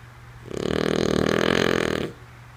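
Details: A single deep, rattling snore about one and a half seconds long from Lulu, a female French Bulldog sound asleep, rising quickly and ending abruptly in a quiet room.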